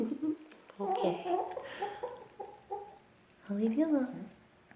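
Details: Eevee, a female dog, voices her objection indoors because she thinks her food will be taken away; a run of harmonic, wavering yips and whines, some short and some drawn out, with a closing rising-and-falling whine and a person speaking briefly.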